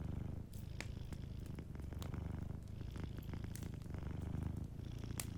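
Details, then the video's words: Deep, rolling purr from a cat sleeping by a warm fire, steady and pulsing, with frequent crisp crackles of burning logs in the background. "Warm Fireplace Ambience with a Sleeping Cat 🐱💤Fireplace & Soft Purring"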